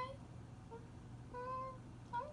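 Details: Buster, a pet cat, crying because he misses his dad; a few short, tonal, slightly rising meow-like cries, the longest held steady for under half a second, in a quiet indoor room with a low steady hum.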